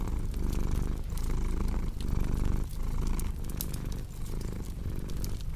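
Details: Domestic cat purring steadily, a low rumbling vibration pulsing in inhale-exhale cycles about once a second, layered with the snaps and pops of a crackling fireplace for relaxation and sleep.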